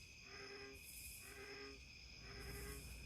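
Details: American bullfrogs give low, droning croaks in a steady series, about one every second, at a pond at night in the East Tennessee foothills of the Smoky Mountains, recorded by trail camera in late May 2024 where raccoons hunt them.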